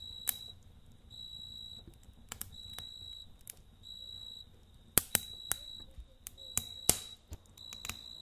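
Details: A cricket trills at night in pulsed, high, steady bursts over the snapping crackle of a campfire.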